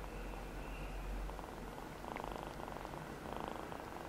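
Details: Rescued feral kitten Namba, a one-eyed male, purrs in brief pulsing bursts, a gritty throbbing hum, over a low thumping rumble of handling noise at the start.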